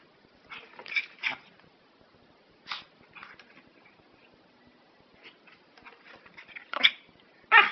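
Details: Prague Ratter barking indoors in an irregular series of sharp, high yaps, some doubled in quick succession, with quieter yips between and two loud barks near the end.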